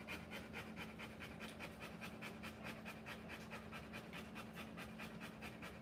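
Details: Whelping Rottweiler panting hard through a live birth of puppies: quick regular breathy pulses, roughly 140 a minute, unbroken for several seconds, with a constant low hum underneath.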